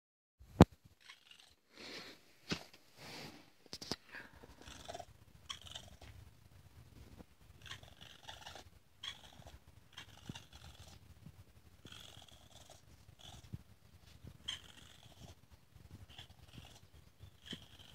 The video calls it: Baby Raccoon Sounds